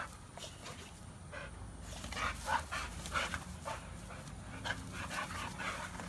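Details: Rapid, rasping panting from an American Bully, one of two dogs named Beats and Maxx alongside a Pitbull; short breathy pulses run about three or four per second over a low constant hum.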